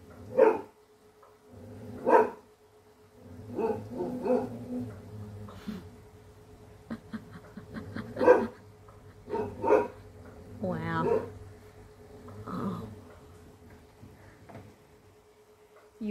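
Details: Female English Setter barking ferociously while hunting, standing her ground against a foe; sharp barks spaced a second or two apart with growly, whiny notes between, and a steady hum in the background.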